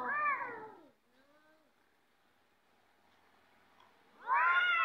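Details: Cats ready to fight, giving a loud harmonic yowl at the start, a faint wailing tail with near silence through the middle, and a second sharp yowl bursting in during the last second.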